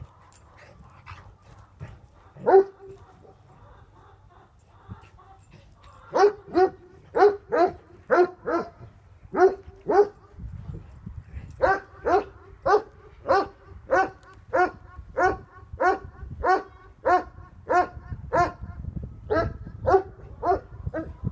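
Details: Tornjak (Bosnian-Croatian shepherd dog), a livestock guardian breed, Hattori Hanzo and Leksi: an isolated bark, then a long run of deep, full barks at roughly one to two per second with brief gaps, over a low background hum.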